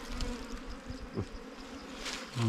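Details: Wild bees swarming over a comb during a honey hunt; an unbroken low hum with soft knocks and handling noises, ending as a man starts to speak.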